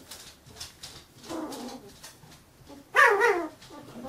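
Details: Carolina Dog puppies, fifteen days old, give two clear yelping squeals, a falling whine near the middle and a louder, shrill wavering cry toward the end, with faint rustles and shuffling between them.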